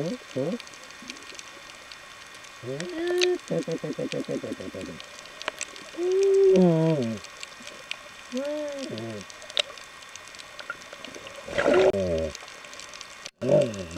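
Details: Galapagos sea lion heard underwater during a snorkel: harmonic arched moans rising and falling, a rapid buzzy pulsed series near the start, more bent wails later, over a steady crackle of snapping water noise.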